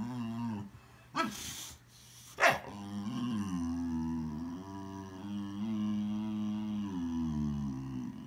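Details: Boxer dog making funny sounds indoors: long, low, wavering growl-moans with rich harmonics, broken by two short sharp noises near the start, then a sustained drawn-out grumble lasting several seconds.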